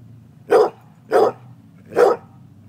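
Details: Pet dog, female, barking while playing fetch with its owner, demanding the ball: three short, loud barks about 0.7 seconds apart, with a low steady hum in the background.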